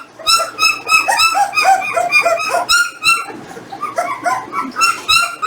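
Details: Jindo puppies, 18 days old, indoors during a weighing session alongside the parent dogs; several overlapping high, tonal whimpers and squeals, rich in harmonics, bending up and down and repeated about three times a second.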